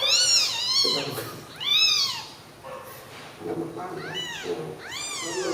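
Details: Tiny newborn kittens huddled together keep up loud, high-pitched mewing, arched cries roughly every second or so, with low voices murmuring in between.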